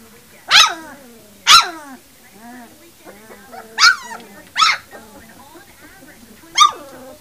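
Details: Puppies three weeks old give sharp, high yelps about every second. Softer, wavering whines fill the gaps between them.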